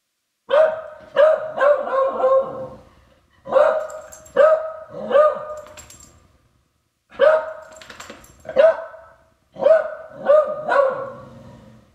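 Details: A beagle that hates its owner's trombone and is frightened by it gives loud, ringing barks at the instrument in quick clusters of two or three, with short pauses between bursts.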